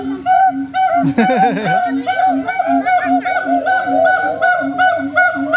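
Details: Monkeys answering one another in a noisy chorus, with regular low hooting notes, swooping higher whoops and a brief burst of rapid descending wavering notes near the start, several callers overlapping.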